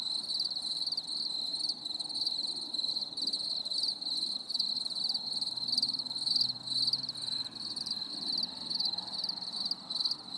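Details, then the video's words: On a stormy summer evening, crickets keep up a dense high trilling chorus with rhythmic pulsing chirps, while a faint low hum runs underneath midway through. "CHANT GRILLONS"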